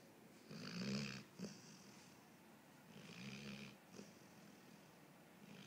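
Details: Snoring from a pet dog, two slow raspy breaths a few seconds apart, a low rattling rumble topped by breathy hiss, little else audible.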